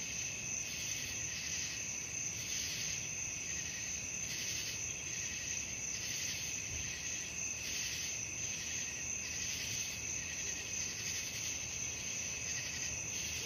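Night crickets chirp in a dense, high, shimmering chorus with steady pulsing trills.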